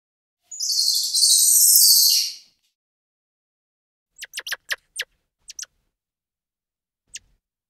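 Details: A squirrel monkey gives a two-second shrill, high squeal, then after a pause a quick run of short sharp chirps and a final lone peep.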